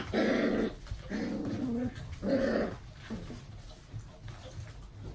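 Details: Golden Retriever with a gold coat, indoors: three drawn-out, rough growling bursts of under a second each, with short gaps between them, then quieter softer sounds in a small room.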